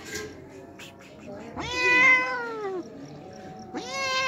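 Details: Hungry homeless cat that comes daily to drink milk, giving a long drawn-out meow that rises then slowly falls, followed by the start of a second meow; faint clicks and background noise before.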